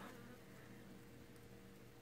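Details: A newly shipped bee box of western honey bees (Apis mellifera), clustered in a mass hanging onto each other around the queen, gives a steady, low, soft droning hum through the mesh, ending in a brief bump.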